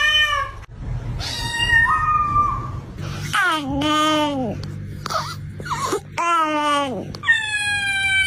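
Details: Cat with a strange voice: a rapid run of meows, some flat and held, others sharply dropping in pitch, with brief chirps between them and a low hum underneath.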